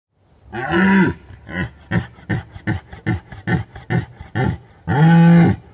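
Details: At the peak of the rut in the Bucovina mountains, likely at night, a red deer stag recorded by an unattended rig bellows a deep roar, fires rapid gruff grunts about three per second, then roars again.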